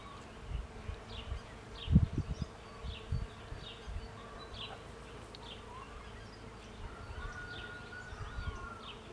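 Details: A cherry tree hums with bees gathering pollen, an even low drone that runs unbroken. Birds chirp and whistle above it, and a few sharp low thumps come early on.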